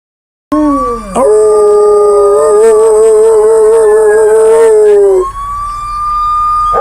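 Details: A dog, prompted to imitate sirens, gives a long, wavering howl, held steady for several seconds before breaking off.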